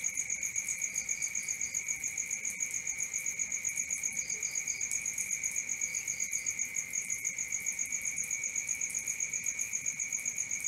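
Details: Nighttime cricket chorus: an even, fast-ticking high-pitched trill holds throughout beside a steady lower tone, broken only by short triplets of higher chirps.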